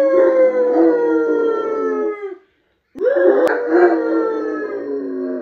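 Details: A Rottweiler gives long, slowly falling howls while a woman howls along with it.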